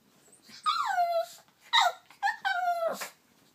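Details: Turbo, a dog wanting his toy badly, gives two drawn-out whines that start high and glide downward, separated by a short breathy squeak.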